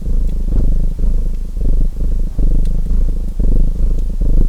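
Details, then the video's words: Close domestic cat purr, a vibrating low rumble in clear in-and-out phases separated by short dips, with faint fireplace crackles in the background. "Purring Cat Sounds"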